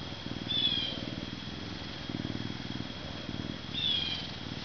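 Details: Max the Canada lynx, a zoo-born male ambassador unable to live in the wild, purrs in soft low throbbing waves; two short high chirps stand out near the start and end over a faint steady tone.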